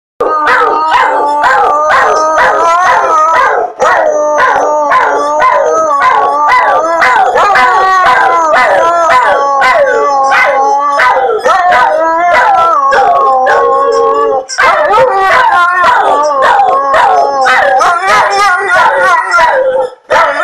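Several dogs howl together in overlapping, wavering tones, with sharp yips and barks breaking through.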